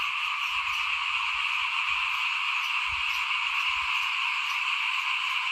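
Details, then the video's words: Small frogs calling in front of a house at rice sowing time in 2021, a dense, steady chorus of overlapping croaks forming an unbroken trilling wall of sound with faint low rustles beneath. "ฟินๆกับเสียงเขียดร้องหน้าบ้าน ตอนหว่านข้าวเตรียมปลูกปี2021"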